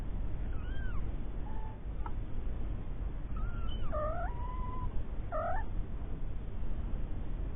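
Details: Three-week-old kittens with their mother Lucy, a once-stray cat found living under a caravan and taken in; a series of thin, high mews, some rising then dropping, one held steady and longer, over a low background hum.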